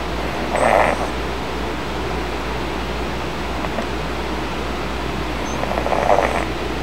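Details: A kitten asleep on a puffy soft bed snores beside its restless older brother; two gentle breathy snore bursts several seconds apart, with a constant low hum underneath.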